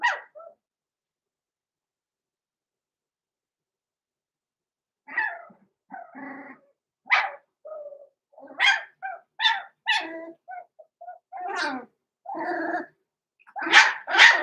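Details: Six-week-old blenheim Cavalier King Charles Spaniel puppies, Roman and Blue, born November 14, 2022, in an indoor puppy pen, giving a run of short, high yappy barks and yelps in irregular bursts after a quiet stretch.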